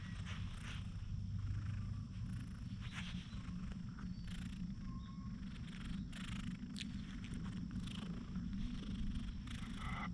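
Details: A docile cat basking in the sun is petted vigorously and purrs: a steady low rumbling hum, continuous for ten seconds, with faint rustling and brushing noises of handling above it.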